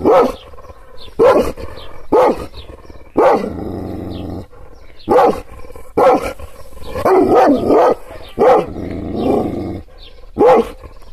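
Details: Kangal, an Anatolian shepherd dog provoked by hand gestures, barking angrily: loud, harsh barks in short bursts roughly every second, separated by lower rumbling growls.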